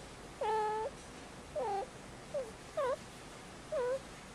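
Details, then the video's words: Young indoor female kitten, five months old, in heat: five short, plaintive meows, some bending upward, others dipping, given roughly once a second against a quiet background. "Five Month Old Kitten In Heat"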